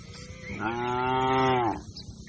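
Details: Grazing cattle herd on open green grassland: one long, steady, level moo lasting just over a second, rich and harmonic, over a soft low background hum.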